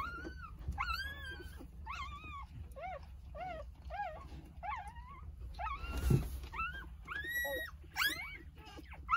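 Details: Jindo mother dog with her nine newborn puppies, three days after birth, indoors in a small room; a run of high, thin whimpers and squeals, some rising then falling, following one another rapidly, over a low steady hum.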